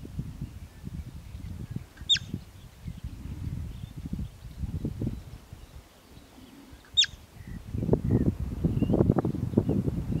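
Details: Bobak marmot, also called steppe marmot: two sharp, piercing whistles, each very brief and falling slightly, spaced about five seconds apart, over a steady low rumble of wind or handling noise.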